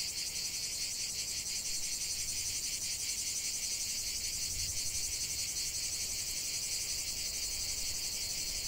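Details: Cicadas singing in nature: a dense, continuous high-pitched buzzing chorus with a steady shimmering pulse, about three beats per second, unbroken throughout and free of other sounds.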